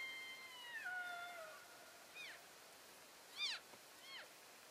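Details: Moving elk herd, February 2012, keeping in touch: a long whistled call slides down in pitch, then three short, bright, arched chirps follow about a second apart over quiet outdoor hiss.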